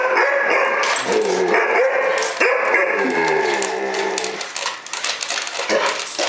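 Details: A 6-month-old Alaskan Malamute meeting a Robosapien toy robot gives drawn-out, wavering woo-woo cries that slide up and down in pitch.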